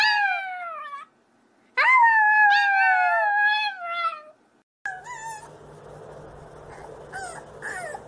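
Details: Puppies howling in a compilation: long, high, wavering howls sliding slowly downward, one after another with a short gap, then fainter yips and short howls over a steady background hiss.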